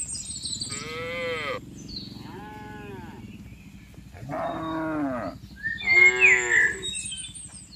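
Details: Herded tame cattle walking from a wide green field to the pen, calling with four moos in quick succession, the first long and strained, the others shorter, while a bird chirps near the end.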